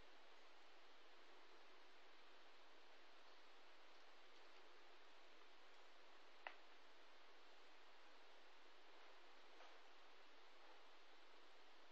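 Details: Faint steady hiss in a quiet backyard setting, broken by one sharp click, with no barking or calling.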